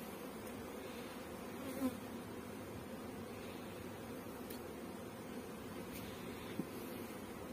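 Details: Steady, unbroken humming drone of many honey bees at a Pakistani bee farm, low and even throughout, with a couple of soft clicks.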